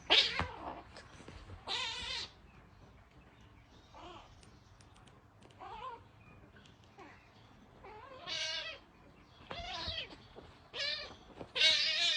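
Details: Fierce young orange kitten giving a string of harsh, strained meows and broadband hissy bursts, each about half a second long and coming in irregular clusters, with quiet gaps between them.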